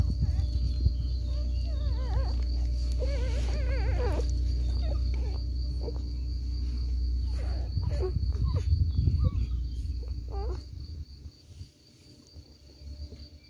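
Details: Seven newborn Lagotto Romagnolo puppies from one litter at feeding time, giving short wavering high whines in bursts over a steady low hum, with quieter whimpers fading toward the end.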